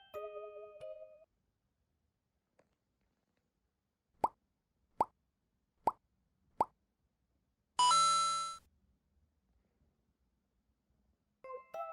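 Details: Short music phrases frame four plopping sound effects and a brief buzzy tone, with no animal voice.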